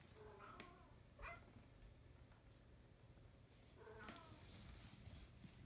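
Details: Pet cat at play, with two brief, thin meows about three and a half seconds apart, separated by soft clicks and taps over a constant low hum.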